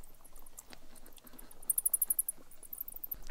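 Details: Bats inside Gilindire Cave, a wet cave with a lake and dripstones in Aydıncık, Turkey, give a quick burst of very high, thin squeaking chirps, rapidly repeated, over a soft hiss and echo.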